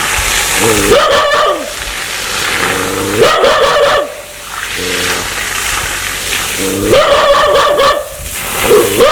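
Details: Threatening dog wanting to bite people: rapid rough barks in three bursts, with a short low growl between the first two bursts.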